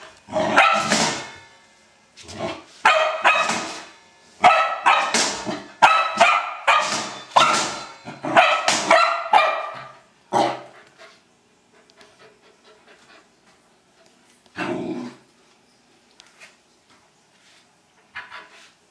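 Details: Old English Sheepdog barking while playing with a trash can: bursts of harsh, loud barks repeated rapidly for about ten seconds, then sparse quieter barks with long pauses near the end.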